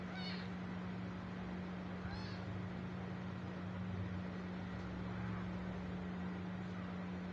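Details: An abandoned stray kitten crying after its mother left it: brief high-pitched meows near the start and after two seconds, then fainter ones later, over a loud continuous droning hum.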